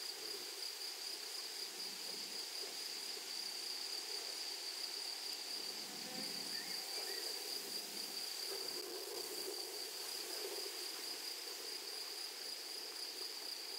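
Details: High continuous insect drone from grasshoppers in a flowery prairie meadow, unbroken throughout, with some soft low murmurs and rustles rising in the middle.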